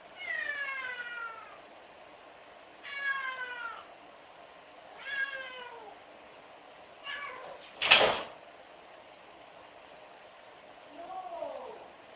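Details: Shut-out house cat crying and scratching at a closed door, wanting into the room: a run of five falling, harmonic meows every two to three seconds, with a sharp bang from the door near the end.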